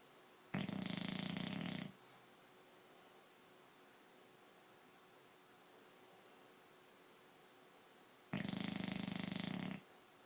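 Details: A dog asleep, snoring: two rough, buzzing snores of just over a second each, roughly eight seconds apart, with steady quiet background hiss between them.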